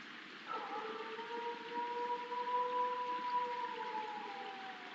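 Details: Coyote; howl; territorial signal and contact among family members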